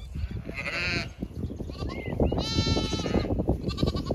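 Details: Zwartbles flock on a County Kilkenny farm in Ireland heading out for late-afternoon grazing; two or three drawn-out, wavering bleats over heavy low rumbling and rustling noise close to the microphone.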